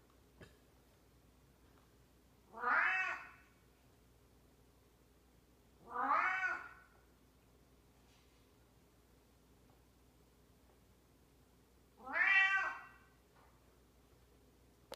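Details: An elderly house cat meows three times at irregular gaps of three to six seconds, each call loud, nasal and slightly falling, against a quiet indoor background.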